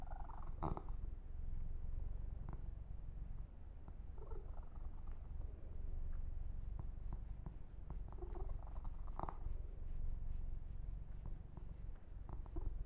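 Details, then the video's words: Deep continuous purring from Yumak, a male pet kitten receiving a massage and fur grooming, the low throbbing rhythm constant throughout, with light brushing strokes and scattered clicks on top. "Kitten Massage - Perfect Sleep Helper Ear to Ear Purring"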